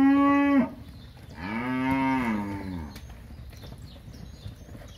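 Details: Crossbred heifers in a sale herd near São José do Rio Preto, São Paulo, Brazil: a loud harmonic moo ending abruptly, then a second rising-falling moo, softer, with faint background noise.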